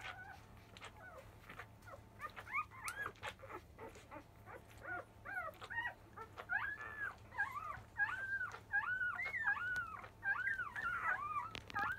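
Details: Field-type Labrador Retriever pups at five days old, noisy as they start to suckle after 1 pm; a chorus of arched, crying whines that builds from scattered squeaks into rapid, insistent repeated calls, roughly one per second, over a constant low hum.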